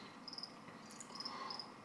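A field cricket sings in brief chirps, each a quick run of pure, high-pitched pulses. The chirps repeat after short gaps over a soft, faint background hiss.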